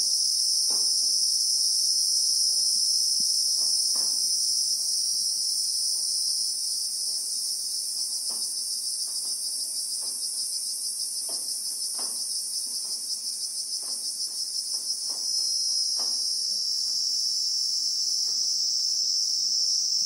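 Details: Continuous high, ringing insect buzz of a Christmas beetle (Anoplognathus) in South African bushveld, captured in real time. It softens slightly midway, then strengthens again near the end, over scattered faint clicks and taps.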